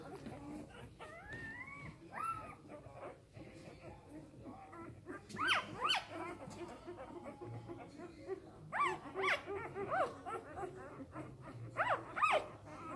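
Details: Samoyed puppies only three days old, from an A-litter, squeak and whine in scattered bursts of high arched cries, some quick and clustered, while a woman talks softly nearby in German.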